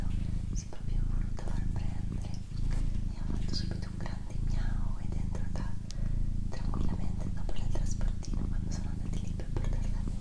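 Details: Pet female domestic cat purring during an ASMR recording: a low, steady rumbling purr that breaks briefly about every 0.8 seconds with each breath, overlaid by soft human whispering and small clicks.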